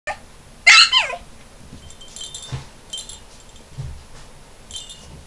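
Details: Male puppy, the one on the right, a single high whining yelp that slides downward, followed by faint tinkling chime-like sounds and low room noise.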